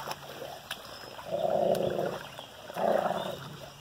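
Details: Central Asian Shepherd dog playing: two rough, low growling bursts, each lasting about a second, separated by a short pause, over steady background hiss.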